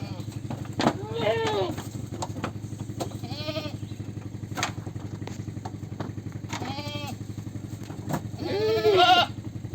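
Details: Goat bleating four times, short nasal wavering calls spaced a couple of seconds apart, the last one longest and loudest, against a constant low mechanical drone with faint clicks.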